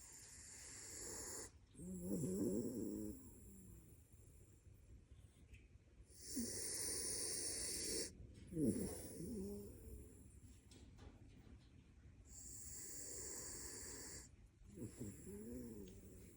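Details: A sleeping raccoon snores in slow, uneven cycles: rasping, hissy breaths with a low throaty rattle, roughly four loud bursts separated by quieter pauses.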